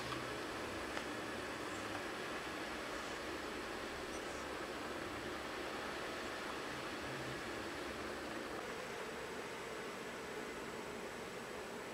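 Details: Steady broadband hiss, like a fan running in a small room, with faint rustling and no animal voice.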